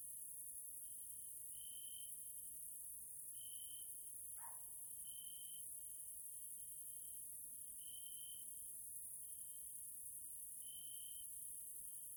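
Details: Caelifera grasshoppers at evening in a Central European nature area in Hungary: a sustained shrill trill with regular louder swells and a steady sizzling hiss, interrupted once by a short downward chirp.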